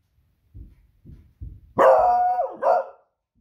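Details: A Beagle barks at noisy fireworks on a Friday evening in New Zealand, raising the alarm: three soft low woofs, then a loud drawn-out baying bark and a shorter follow-up.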